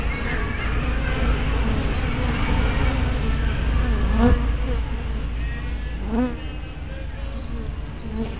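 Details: Honey bee buzzing at a hive entrance on a spy cam: steady low droning of many insects, broken by brief gliding whines of bees passing close around four and six seconds.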